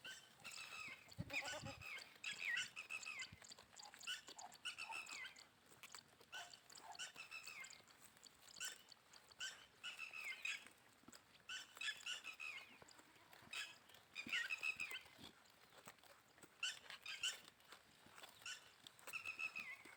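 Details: Goats on a farm bleating over and over, high, wavering, harmonic calls overlapping and following one another in quick succession, with brief pauses, across the whole stretch.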